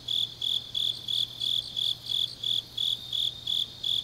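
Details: Late-night autumn grass insects in Changnyeong, Korea, giving bright high chirps in rhythmic pulses, about eleven bursts in four seconds, layered with fainter callers and a quiet background hum.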